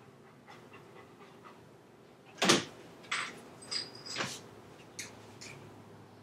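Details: Leo, a chocolate Labrador Retriever left home alone, breaking into the computer room, caught on a home camera; a few sharp breathy bursts roughly every half second, with a faint steady indoor hum.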